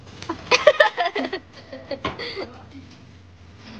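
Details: People talking and laughing indoors in a small room, with short bursts of voices and chuckles and no animal sound.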